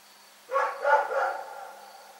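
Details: A single drawn-out bark from Rex the dog at night, breaking into three quick rough pulses over about a second, then fading into near silence.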